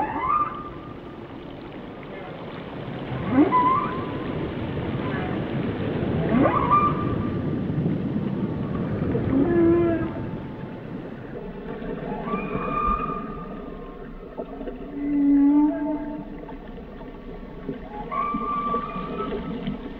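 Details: Underwater whale song mixing quick upsweeps, short level whistles and brief low grunts, then a layered, harmonic-rich moan holding steady tones, against constant watery background hiss.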